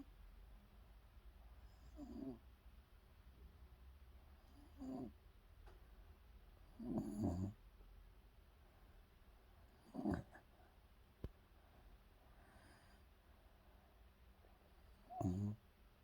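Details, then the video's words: Welsh Corgi named Cola asleep and snoring, soft raspy snores in irregular bursts roughly every two to five seconds, low and breathy, with quiet room hush between them. "코골이 콜라 웰시코기"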